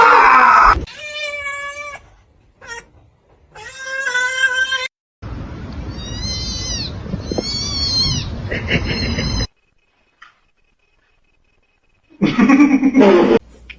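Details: Domestic cats meowing in a string of short, separate bursts: clear, tonal, drawn-out mews with bright overtones, broken by abrupt cuts, brief silences and a noisy stretch between calls.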